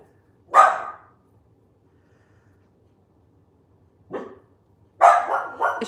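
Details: Household dogs guarding the neighborhood, one deep-voiced and one high-voiced dachshund. A loud bark is followed after a pause by a softer one, then a quick burst of two or three harsh barks.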